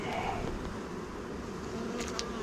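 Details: A dense, steady hum of many honey bees during a hive inspection of a Varroa-infested colony, the volume swelling as the colony grows agitated after the keeper is stung and alarm pheromones spread.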